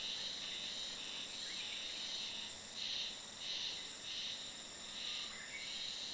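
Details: Cicadas singing on 1 May, early in the season, at the inner shrine of Ōyama Shrine during a wild boar patrol; a dense, continuous high buzzing chorus swells and fades in pulses roughly every half second over steady background hiss.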